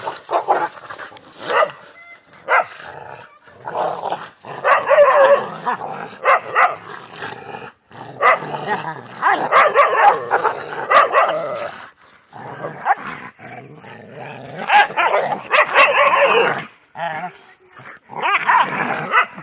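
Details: Dogs fighting among themselves, a dense run of harsh overlapping barks, growls and yelps in bursts, with short pauses between flurries.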